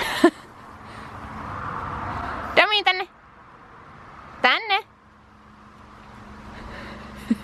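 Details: Dog playing with a new ball made for horses or big dogs, giving two arched, harmonic bark-like calls about two seconds apart over a low steady hum, with a brief click at the end.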